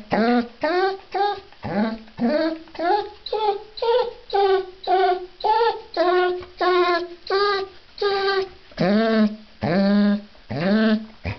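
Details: A female Basset Hound being bathed gives a rapid series of tonal, yodelling whines, each about half a second long.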